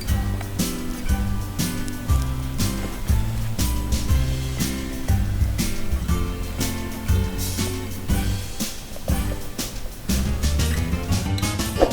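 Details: Rhythmic instrumental music with a steady beat and deep bass notes plays throughout, and no animal sound stands out.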